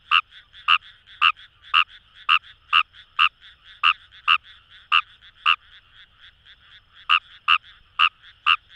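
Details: Rice frog (Fejervarya kawamurai) in flooded paddies along Itoshima's Kamo River, Japan: a brisk series of about seventeen short, rasping croaks, nearly twice per second, with one brief gap, over a dense background frog chorus.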